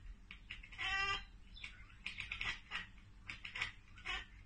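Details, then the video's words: Domestic cat watching a bird or insect out of reach: a short harmonic meow-like cry followed by quick, stuttering chatter bursts at irregular intervals, with low background rumble. "Cats Ekekekeke Compilation - Cats chattering at birds!"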